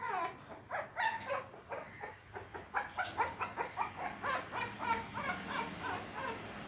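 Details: Shih Tzu puppy indoors, fighting with a door to get it open; rapid series of short, high, harmonic yips and whimpers, roughly two to three per second, mixed with faint scratching clicks.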